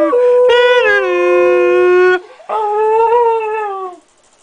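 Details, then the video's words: Thunder, a small pet dog, howling along to its family's singing and music-making: two long, sustained, tonal howls, the first steady and drawn out for about two seconds, the second wavering slightly before fading, with a brief pause between. "Little Thunder, Big Howl"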